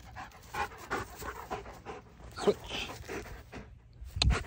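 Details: Belgian Malinois during obedience and protection training, panting in quick, breathy, irregular puffs, with a handler's voice nearby and a sharp thump near the end.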